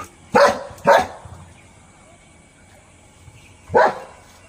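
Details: Pet dog in India barking after a vehicle arrives nearby: two sharp, loud barks in quick succession, a pause of nearly three seconds, then a third bark, with a person talking to the dog.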